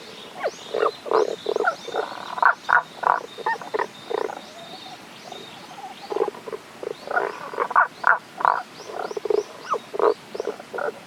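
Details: Tago's brown frog chorus at a Kanto-region stream in Japan, 1 April 2021, frogs unseen; two long bouts of rhythmic low grunting croaks, about three per second, with faint high chirping notes above and soft background hiss.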